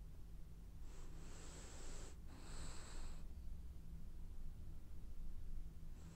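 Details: French Bulldog snoring as it dreams: a loud, rasping two-part breath, a long hissing draw, a brief pause, then another, over a steady low hum.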